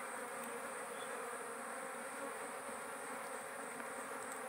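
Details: Wild giant honey bees (dorsata forest bees) at a small nest found during a hunt and harvested for honey; a steady, continuous low buzzing hum with a broad hiss, no clear breaks or other voices.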